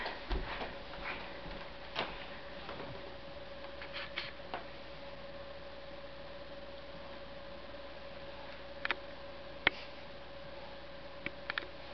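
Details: A steady indoor hum runs under scattered ticks and sharp clicks, with no animal voice heard.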